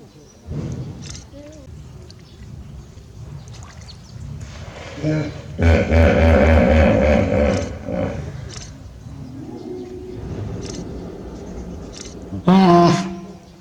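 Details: One-year-old hippopotamus calf Manpuku with mother Mimi at Tobe Zoo, Japan, 20 April 2022, answering her call with a 'puu'. Loud deep pulsed grunting burst with a harmonic honk, short low calls around it, a sharp honk near the end, voices.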